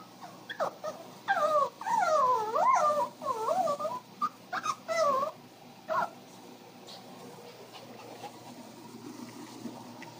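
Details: Pomeranian and Shih Tzu mix, a female dog, worried because her owner stepped outside; high wavering whines and squeaky yelps rising and falling in quick bursts over the first six seconds, then quiet room.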